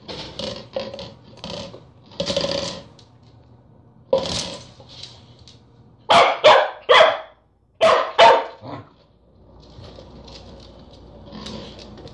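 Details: Corgi working at a peanut butter jar: muffled scattered barks and scuffling early on, then a loud burst of three sharp barks followed by two more, with rattling and low background hum.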